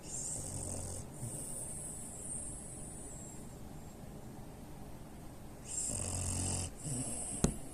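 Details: A French Bulldog x Pekingese mix, three years old, snores with its eyes open: a harsh snore burst opens the clip, a few seconds of soft breathing follow, then two more loud rasping snores close together.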